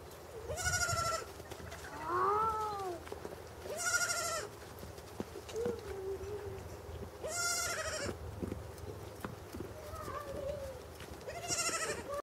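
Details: Baby pygmy goat at a Swiss zoo, Walter Zoo, 26 February 2015, bleating as it walks and looks about, maybe calling for its mother; four loud quavering bleats every three to four seconds, with softer lower calls between.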